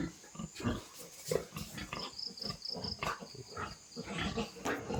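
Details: Newborn piglets on a pig-raising farm make rapid, low, rough grunts repeated about every half second, some slightly squealing, over a steady chirping insect background and a man's voice.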